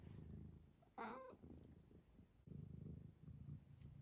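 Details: Sleepy domestic cat lying in place while being coaxed to get up: steady low rumbling purr, briefly broken by a short higher sound near the one-second mark, with faint room hum.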